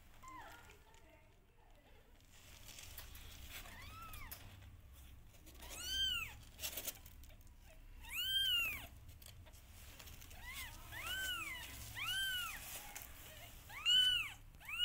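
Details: Rescued cat family of a mother cat and her five kittens; a series of arching, rising-then-falling meows, some overlapping, about six within fifteen seconds over a soft low background hum.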